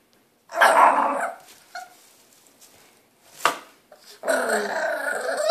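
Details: Impatient 3-month-old French Bulldog puppy named Cleo, eager for the hand brush: a raspy growling burst, a pause with a sharp click, then a sustained rough growl-grumble building at the end.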